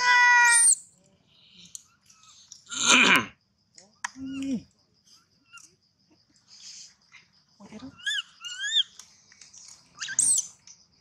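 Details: A poor baby monkey cries loudly for a long time in shrill, wavering squeals, with rustles and thumps between the calls, until it finally goes quiet.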